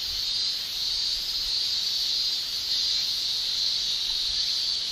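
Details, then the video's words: Summer cicada shrilling from male cicadas in Japan, made by tymbals: an unbroken high-pitched buzzing drone at even loudness, faint low rumble beneath. "Japan Summer Cicada Shrilling Relaxing Sound"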